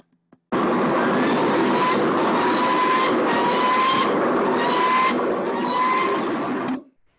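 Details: A steady, loud engine-like roar with a faint whine that rises and repeats roughly every second; no animal is heard.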